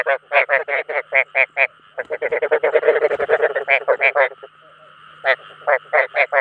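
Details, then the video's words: Attraction calls of rice field frogs: evenly spaced, harsh croaks at first, then a crowded burst of overlapping calls, a pause of nearly a second, and a few final croaks, with a faint hum throughout. "Tiếng Ếch Đồng Chuẩn 2024 ( Tiếng Kêu Thu Hút Đồng Loại )"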